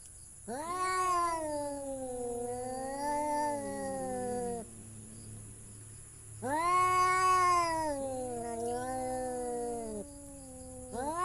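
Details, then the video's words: Two long, plaintive cat meows about four seconds each, separated by a quiet gap. Each starts with a quick rise and then holds a wavering pitch. A third meow begins at the end, and a steady high background whine persists. "The sound of cat funny"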